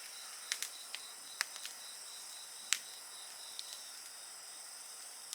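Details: Insects singing beside a bonfire: a steady, high, shimmering chorus of continuous trills runs throughout, broken by sharp crackles and pops from the burning fire at irregular moments.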